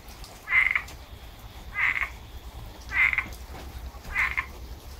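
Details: Frogs calling after heavy rain in Tampa, Florida: four short, loud, nasal croaks centred high in pitch, spaced roughly a second or more apart over a low background hum.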